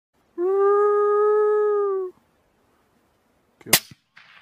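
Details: Coyote giving a single steady howl lasting under two seconds, flat and tonal with clear overtones, followed by silence and a brief sharp click and a short hiss.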